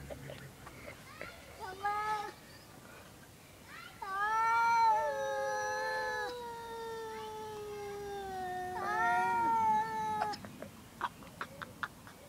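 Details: Pair of domestic cats producing strange noises, with long, drawn-out yowls that rise, hold and waver across several seconds, overlapping harmonic wails from more than one cat, short shorter calls before, and clicks and faint voices toward the end.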